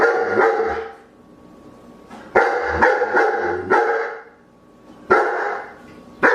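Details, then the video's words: Dog barking in harsh bursts, a rapid run of three or four barks then pauses, each ending in a resonant echo. "CACHORROS LATINDO - SOM DE CACHORRO"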